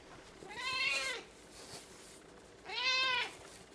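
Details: Domestic cat named Josie giving two clear meows about two seconds apart, each a short rising then falling wail with rich harmonics, over quiet background.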